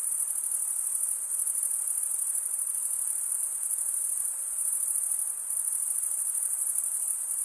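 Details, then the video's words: Stridulating crickets, the males chirping by rubbing their wings together. An unbroken high-pitched buzzing trill pulses quickly and evenly, dipping slightly in loudness a few times, over a quiet background. "Most relaxing cricket sound"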